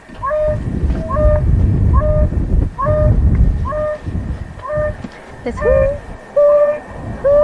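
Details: African wild dog contact calls, played from a speaker on a vehicle to draw a pack in for collaring on Pridelands Conservancy, Greater Kruger, 2 September 2022: soft, tonal hoos repeated about once a second over low engine rumble.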